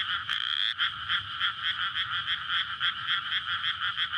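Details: Frogs calling together in a flooded May rice field at night, a courtship chorus near a road; steady ringing croaks pulse in rapid overlapping waves, with a brief sharper whistled note near the start.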